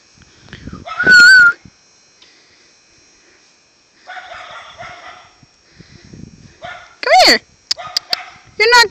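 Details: Five-month-old German Shepherd puppy outdoors in snow gives loud, high, sweeping yelps and whines: one near the start, then two sharp bursts near the end, with a person calling to it in between.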